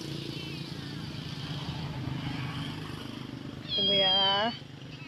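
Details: Starving stray kitten at a rubbish dump in Samarinda, Indonesia, crying for food: one drawn-out, slightly wavering meow lasting nearly a second, over steady engine rumble and a man speaking.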